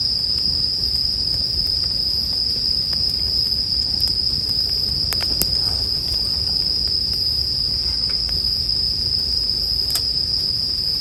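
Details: Bell cricket singing in a steady, unbroken high ringing tone that holds level throughout, with sharp crackles and pops from a campfire scattered across the recording.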